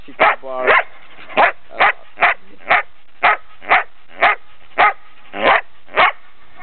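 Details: A nearly ten-month-old female Belgian Shepherd barks steadily, sharp loud woofs coming about twice a second; recorded 3 March 2007 in Brno, Czech Republic.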